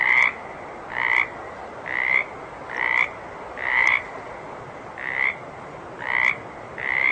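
A water frog gives short, rasping croaks, repeated steadily about once a second.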